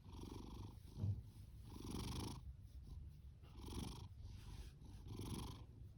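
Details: Fasu, a male orange tabby cat born October 2019 and adopted from a shelter, snores and purrs loudly; low rumbling pulses swell and fade in slow breaths, roughly every one and a half seconds, with a quiet steady background.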